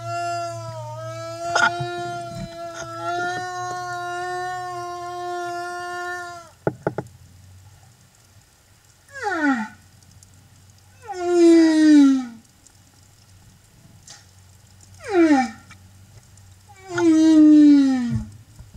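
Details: Humpback whale singing escort accompanying a mother and calf at Silver Bank, Dominican Republic, April 2015: a long, steady harmonic moan lasting about six seconds, then four sharply falling, rich tonal cries spaced a few seconds apart.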